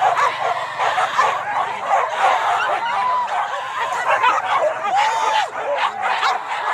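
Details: Boar-hunting pack in Kayu Ampek, Tanjung Emas, Tanah Datar: frantic overlapping barks and squealing yips crowd together in a loud, unbroken din, with a low hum and voices in the background.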